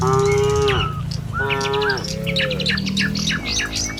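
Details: Tame cattle herded along a village road in the morning on their way to a field to feed; short, fairly high harmonic moos, three in quick succession, overlaid by busy chirping birds.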